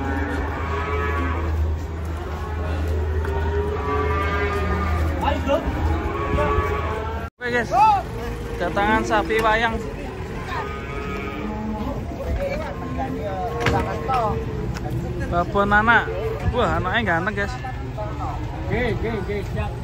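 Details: Cattle unloaded from a truck, one animal agitated; repeated long lowing moos, some wavering and bending in pitch, several callers overlapping, a low engine-like rumble early on and a brief cut near the middle.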